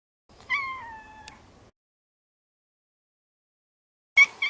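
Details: Maro, a neutered male Maine Coon cat born in 2014, gives one falling meow with clear harmonics that slides downward over about a second. A short second sound starts just as the clip ends.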